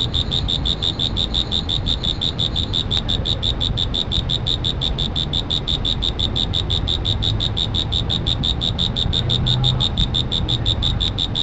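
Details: Insect calling with a steady run of short, high-pitched pulses, roughly three per second, keeping an even beat throughout over a low rumbling background.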